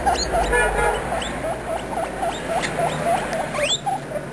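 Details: Young guinea pigs talking in quick bursts of squeaks, several chirps each second with upward-flicking notes and one high sweeping squeal near the end.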